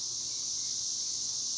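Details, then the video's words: Cicadas singing in a tree: a steady, dense, hissing buzz that holds at one level without a break through the whole moment, with no other clear sounds. "El sonido de las chicharras"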